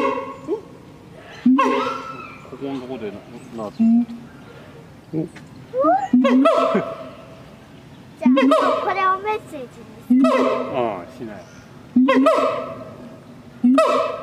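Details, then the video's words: Siamang heard at night: softer, varied yelps and rising squeals in the first half, then loud, regular honking barks with rich overtones roughly every two seconds. "suara siamang di malam hari/the sound of gibbons at night"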